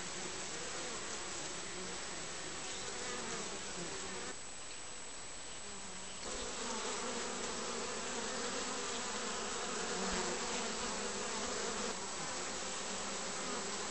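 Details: Honey bees entering the hive on 20 June, returning with pollen of many different colours; a dense continuous humming buzz of many bees, steady throughout with a brief muffled stretch midway.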